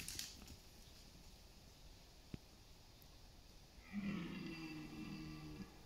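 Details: In an East Serbian autumn forest on September 28, a red deer stag in rut gives a single coarse, deep roar of about two seconds after a quiet stretch with faint clicks, calling amid rivals competing for mates.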